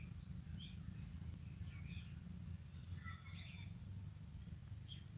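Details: A Japanese burrowing cricket (Velarifictorus micado) calls, a thin, high, steady trill over a low background rumble.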